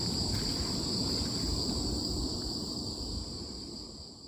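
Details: Crickets in autumn keep up a continuous piercing high trill in stacked steady tones, with low rumbling noise beneath, the whole sound gradually fading toward the end.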